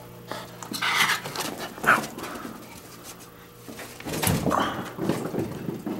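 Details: Luca, a seven-month-old female German Pinscher, playing fetch indoors: short bursts of breathy huffing and scuffling noises in a small room, rising again in the last two seconds.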